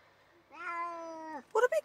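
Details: Male Tonkinese cat whining and complaining in a car on a ten-minute drive to the local vet for annual vaccinations: one long, drawn-out, steady meow that drops at the end, then two short sharp bursts.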